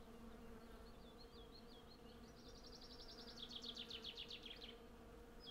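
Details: Hundreds of western honey bees collecting honey from a blossoming cherry tree: a steady low hum with two even droning tones throughout. Bright chirping and trilling birdsong runs over it, building into a fast rapid series near the end.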